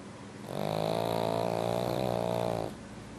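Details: A pug sleeps deeply in a warm, heated room and gives one loud snore: a droning, harmonic rasp lasting about two seconds that swells and then fades, with quiet room tone on either side.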